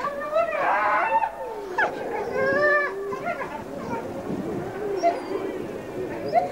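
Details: A captive grey wolf pack howls together in the background while one wolf greets her hand raisers, long sliding voices overlapping in a wavering chorus.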